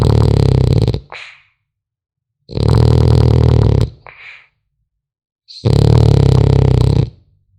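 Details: French Bulldog puppy snoring in its sleep: three loud, rasping, low rumbling breaths about a second long each, spaced roughly two and a half seconds apart, each trailing off in a faint wheezy whistle, in a quiet indoor room.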